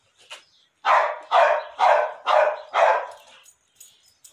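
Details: Pit Bull bitch in her second heat, recently mated: five strong, deep barks in a steady run about every half second, with faint squeaks before and after.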